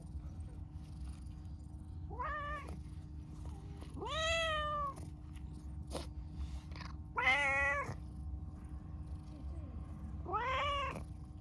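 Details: Chatty, affectionate pastel calico stray cat meows four times, about every two to three seconds: bright harmonic, slightly arching calls, the third loudest and longest, with a low continuous hum and distant traffic beneath.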